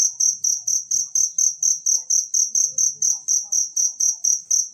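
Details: Shrill, ringing pulses from a wild cricket, used for teaching songbirds, come in a tight steady rhythm of about four per second throughout, over faint low background noise.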